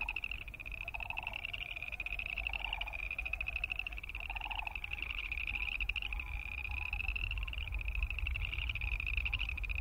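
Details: Chorus of boreal chorus frogs producing continuous overlapping pulsed trills, each rising slightly. A few lower pulsed bursts sound in the first half, with steady low rumble underneath.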